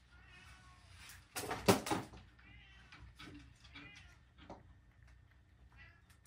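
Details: Domestic cat that has eaten carrot and then one dried sardine, still wanting more: several short harmonic meows in sequence, with a loud clatter near the start and faint room noise.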